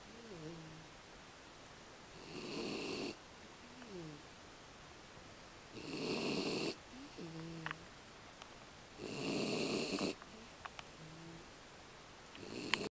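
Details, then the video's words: Aki, an American Beagle, snores steadily in sleep: four harsh, breathy snore bursts roughly every three and a half seconds, separated by soft whistling squeaks from the nose and a brief click near the end. "アメリカンビーグル あきのいびき"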